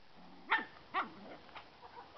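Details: Three Toy Poodle puppies playing: two short, sharp yapping barks about half a second apart, followed by a few fainter, softer yips trailing off over the next second.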